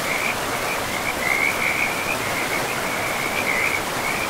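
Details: High, continuous frog trilling from a pristine forest river with moss-covered banks: a fluttering, slightly undulating note holds throughout, swelling at moments, layered over the even roar of flowing water.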